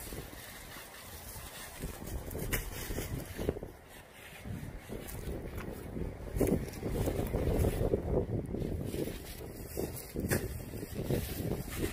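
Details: Steady wind buffeting and low rumbling noise fill the recording, with no animal voice.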